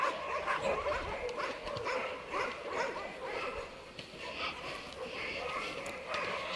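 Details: Abandoned poodle named Totoshka at a large private Russian shelter for homeless animals during abnormal heat; rapid, uneven barking and yips, many dogs barking together with human voices talking in the background.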